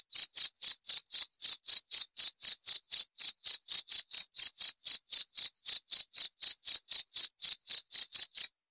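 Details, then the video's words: Cricket (jangkrik) giving steady, high, ringing chirps at about four per second, each short pulse evenly spaced, with a faint higher overtone; no other sounds against a silent background. "26 Menit Suara Jangkrik - 26 Minutes Cricket Sound Effect"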